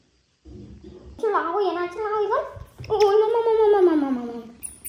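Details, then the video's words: Baby monkey crying: a run of high, wavering wails that slide upward and fall in long drawn cries, with faint voices beneath. "The baby monkey crying"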